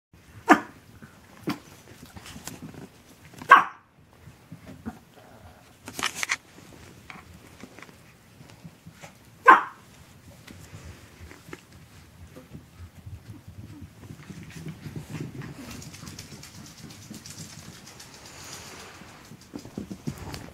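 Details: Two 12-week-old Chihuahua puppies, Asher and Indigo, at play on December 3rd 2013: a few short sharp barks scattered through the first ten seconds, then quieter shuffling and rustling noise.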